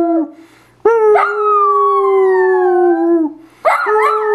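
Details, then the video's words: A Dachshund holds one long, even howl for nearly two and a half seconds, tapering at the end, then begins another with a rising wavering onset. "Dachshund howling"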